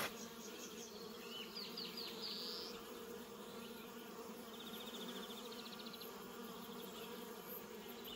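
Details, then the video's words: In a New Zealand orchard, bees keep up an even drone near Reg the cat. Birds chirp and twitter in short bursts over the hum. "Reg hanging out with bees"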